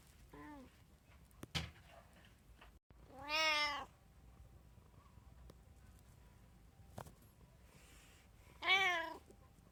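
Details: One of three pet cats (tabby, Munchkin, Abyssinian) at home, 6 January 2024, giving three meows: a short faint one first, then two longer, strongly arched calls several seconds apart, with a couple of sharp knocks between them.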